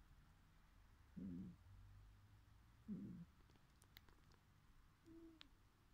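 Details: Sleeping cat while dreaming lets out two brief, low, muffled grunts about two seconds apart, followed by a faint, short higher tone and a few soft clicks in an otherwise hushed setting.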